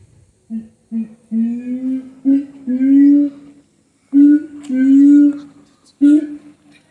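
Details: Higashiyama Zoo siamang: drawn-out hooting notes that slowly rise in pitch, given in two bursts. The notes are separated by short pauses and a brief silence.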